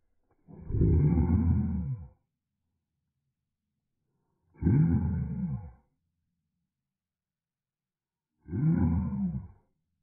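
A Cardigan Welsh Corgi gives three deep, rough, roaring growls, each about a second and a half long.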